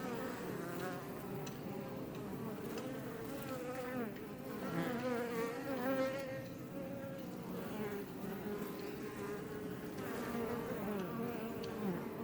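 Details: Many Iberian honey bees buzz outside a Langstroth box hive west of Roquetes, south Tarragona, Catalonia, Spain; a continuous layered drone with individual bees swelling louder as they pass near, then fading.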